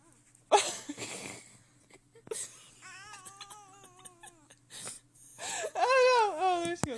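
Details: Irritated house cat Xena, teased in a small room, lets out long quavering moans that bend up and down, ending in a louder wailing burst. Human speech and laughter come at the start.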